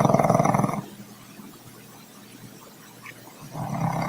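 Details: Troy, a pet dog, snoring loud enough to be heard rooms away: a harsh, rasping breath sound fading out, a quiet gap of nearly three seconds, then the next rattling snore starting.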